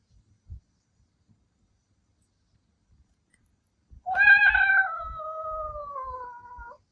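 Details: Milky, a male Ragdoll cat born in 2021, howls wolf-like in anger after his meow is imitated: after near silence, one loud drawn-out harmonic wail of nearly three seconds that starts high and slowly falls in pitch.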